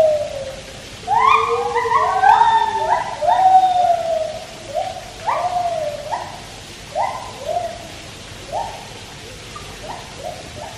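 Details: White-handed gibbons singing at Taipei Zoo beside a swimming Malayan tapir: a run of hooting notes, each swooping upward then sliding down, some doubled and overlapping, loud at first and then spaced into separate phrases every second or so.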